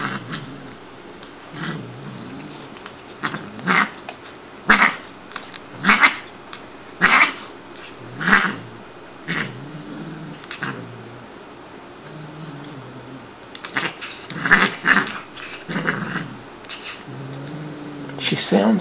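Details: Shiloh, a female Siamese cat, yowling during play: a long run of harsh, noisy bursts about one every second, rough and growly in tone though the cat is not angry, with faint human speech between them.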